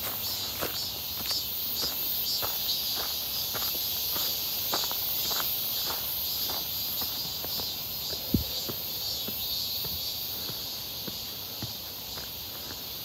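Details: Cicada chorus near Seonbawi in midsummer, 1 August 2023, on a clear hot day during a walk: unbroken high-pitched buzzing with a shimmering pulse, regular footsteps and one sharp knock.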